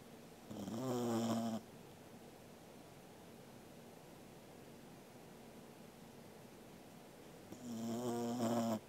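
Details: Angela the Corgi snoring in her sleep indoors, 13 August 2021; long buzzy, rattling inhalations of about a second each, spaced roughly seven seconds apart with quiet room tone between.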